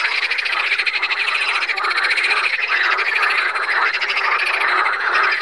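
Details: Water frogs (Pelophylax) calling at Saint Orens de Gameville: a dense, continuous chorus of rapid rattling, pulsed croaks from several overlapping frogs, with no gaps or other clear sounds.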